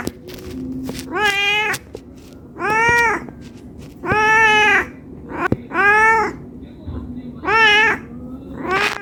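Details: Hungry domestic cat meowing to ask for food, loud drawn-out harmonic meows repeated about every one and a half seconds, each rising then falling, with low background rumble.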